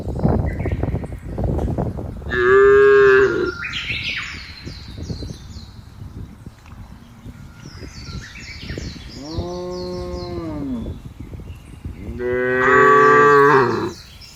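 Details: Cows calling in the field, three long, loud moos spread across the recording, the first and last strong and sustained, the middle one lower, with bird chirps and rustling between the calls.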